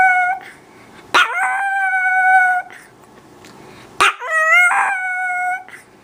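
A Chihuahua gives two high, drawn-out howls, each opening with a sharp yelp.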